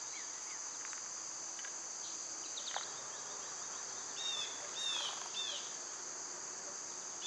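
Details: Summer cicadas keep up a shrill, steady whine beneath several clear, sweeping bird whistles and quick chirps that come in short bursts toward the end.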